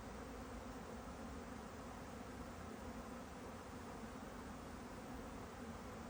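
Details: Continuous drone of a honeybee, an even low-pitched hum with a faint higher overtone, set against a steady hissing background.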